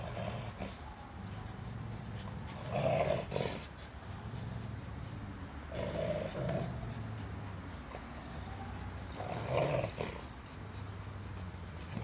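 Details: A Belgian Malinois pup and a Rottweiler play together; low rumbling growls rise into louder, rougher bursts every few seconds.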